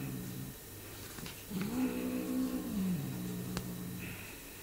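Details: Male Bengal cat munching on his owner's hand gives one low, drawn-out moaning growl lasting about a second and a half, held at a steady pitch, in a quiet indoor room.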